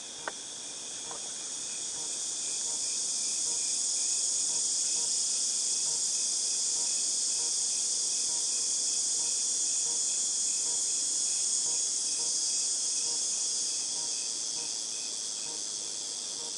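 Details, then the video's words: Cicadas in August 2018 make a high, sizzling drone that swells in loudness over the first few seconds, holds steady, then eases slightly toward the end. Faint rapid ticking pulses run underneath, about three or four each second. "Cicadas Tinnitus Sound"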